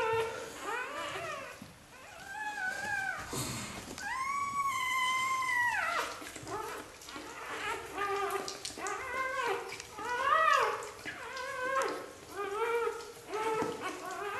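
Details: Several Xoloitzcuintli puppies of a first litter in Switzerland whimper and squeal, with one long drawn-out howling whine held for about two seconds, then rapid overlapping arched squeaks continuing to the end.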